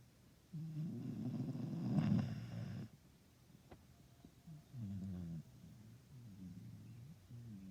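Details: Sleeping Istrian Hound, a female rescue dog from Romania, snoring softly: one louder rough rumbling breath, then fainter short wavering snores after a quiet gap.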